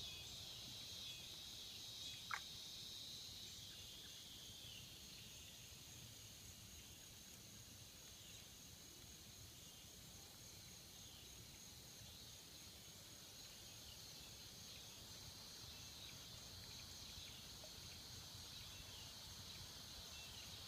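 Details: In the swamps, cicadas produce a constant shrill buzz that slowly softens slightly, with a single sharp click early on and quiet low background noise.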